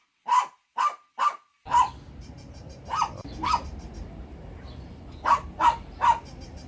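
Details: Loud, sharp dog barks in short clusters of two or three, about ten in all, over a steady background hiss after the first few.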